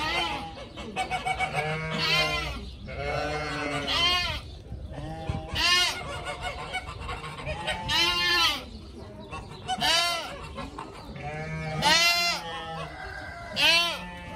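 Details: Frolicking pygmy goat kids call about every two seconds: short, arched, nasal bleats, some high and piercing, from several animals overlapping above a low background hum.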